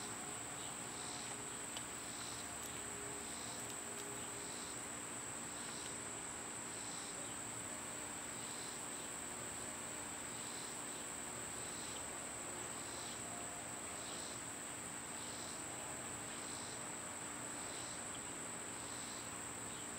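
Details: In summer, when cicadas are loud, their song forms a constant thin high-pitched drone, layered with a regular pulsing buzz that beats close to once a second throughout, over a low outdoor hum.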